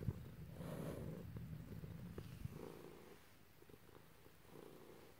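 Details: Pet cat purring as its owner strokes it, with a black cat and a grey cat in the home; deep rumbling purr rising in three broad swells, with a low continuous undertone and a few faint clicks.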